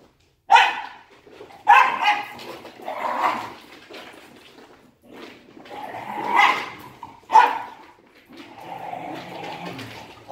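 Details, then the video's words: Two Wire Fox Terrier brothers play-fighting indoors, barking in bursts: sharp barks mixed with growly, rough play noises, in about six irregular bouts with short quiet gaps. "Pardon Our Barking"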